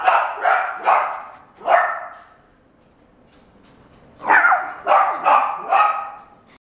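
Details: Barks from a white male Shiba Inu born 17 June 2016: four sharp, hoarse barks, a pause of about two seconds, then four more in a fast run.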